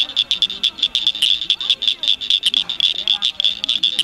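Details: Rare Blanchard's cricket frogs singing at Cricket Cove Park near Cygnet, Ohio, in May 2006: sharp clicks in quick succession over a steady high ringing band, with faint warbling sounds lower down.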